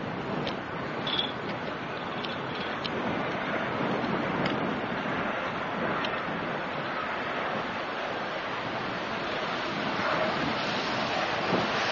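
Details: Steady, broad rushing noise like wind buffeting a microphone throughout, with a few faint ticks and no animal voice.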